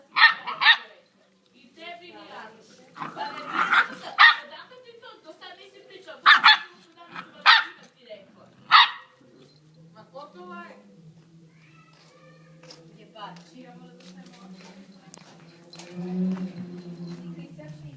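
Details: American Staffordshire Terrier puppies barking and yipping in quick, high bursts for about nine seconds, then quieter with a low hum and faint voices.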